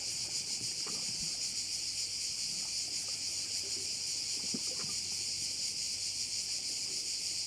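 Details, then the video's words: Bayside crickets on the island of Korčula in Croatia: a steady, dense, high shrilling chorus with a fine rapid pulse, faint low taps in the background. "view of one of the bays in Korcula with sounds of crickets"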